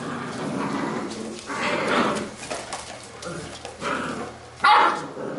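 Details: Playing Labrador retriever puppies of a B litter; soft growly play noises build into a few sharp, high puppy yelps and barks, with rustling of movement throughout.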